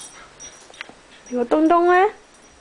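A Pembroke Welsh Corgi gives a short, rising, nasal whine, pleading for a game of ball.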